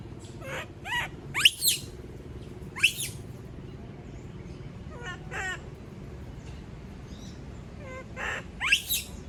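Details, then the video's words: Female monkey screaming when left alone: a few sharp, high rising shrieks, some in quick pairs, spaced irregularly over a steady low hum. "Sound of monkey berlin scream when all leave her alone, monyet berlin berteriKmak sendirian"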